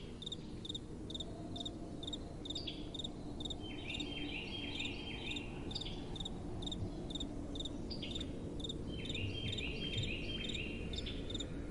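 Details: Crickets calling at night with soft wind blowing. High chirps pulse steadily about twice a second, with a warbling, trilled layer that comes and goes in between, all over a constant low rushing wind.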